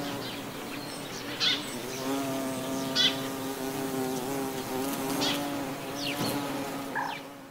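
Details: In the countryside of the Gulf of Morbihan, Brittany, on 18 November 2011 in autumn, a buff-tailed bumblebee hums with a steady, low, rich drone that holds level throughout.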